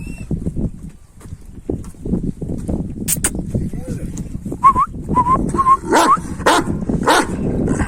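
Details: Kangal dogs, males trying to win a female, outdoors in rural Turkey: a series of short, high, rising whimpers around the middle, repeated four or five times, over steady men's talk and sharp clicks and knocks.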